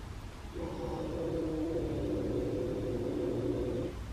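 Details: Simba, a domestic cat from a feral colony, gives a long, low, rumbling growl lasting over three seconds at Ditto, a recovering feral cat approaching the gates for the first time, at 7:17 p.m.; Ditto backs away.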